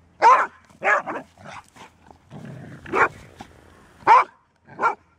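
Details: Female Golden Retriever barking: five or six loud, rough barks spaced unevenly over a few seconds, with a murky rumbling noise and softer grunting sounds in between.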